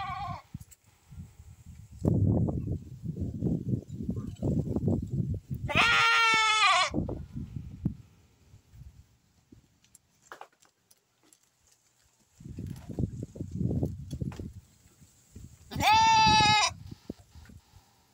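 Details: Pure-bred Santa Inês lambs kept for sale; two loud harmonic bleats about ten seconds apart, each close to a second long, between stretches of low rumbling handling or trampling noise.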